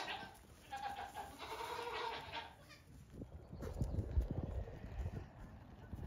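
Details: Goat kids about two weeks old, let out on a farm one morning to hop and play before resting in the sun; several quavering, nasal bleats fill the first two and a half seconds, then fade into rustling and thumps of movement.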